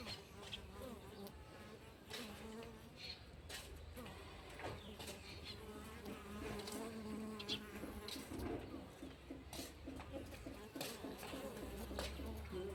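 Honey bees buzz steadily, a low droning hum that rises and falls as individuals fly close.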